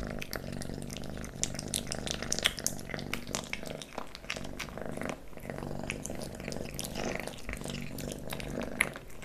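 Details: Leo, a kitten, eats pate, stick treats and creamy treats indoors; close recording of constant purring beneath dense wet chewing and licking clicks.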